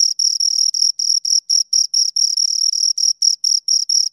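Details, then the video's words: Two crickets give sharp, high, scraping chirps in a brisk rhythm of about four to five pulses per second, some blending into longer trills; no other sound. "Two Crickets Chirp Sounds"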